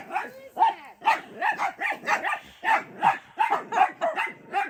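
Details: Several pet dachshunds barking at their grandmother watching them from a window; quick, uneven bursts of sharp barks about two or three per second, with faint human voice mixed in.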